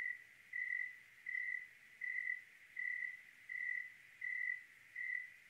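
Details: Cricket on a clear night in Oregon, giving steady, high, pure-toned chirps, each about a third of a second long and repeated roughly every 0.7 seconds, over a quiet, faintly hissing night background.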